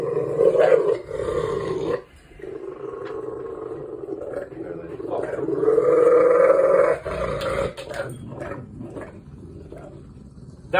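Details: Angry Rottweiler growling while his owner stands face to face to calm him down; long, rumbling, rising and falling growls in sustained bursts, one swelling louder near the middle, with brief pauses between.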